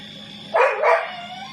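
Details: Domestic dogs, two of them, confronting a cobra that entered a house in Nathawee, Songkhla, Thailand, recorded by a CCTV camera; one loud, harsh double bark over a steady background hum and a faint tone.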